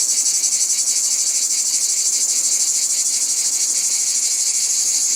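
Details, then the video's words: Loud cicada chorus in a natural setting, an unbroken sizzling buzz at high pitch, gently pulsing in quick, slightly uneven beats from start to finish. "Cicada sounds in Nature"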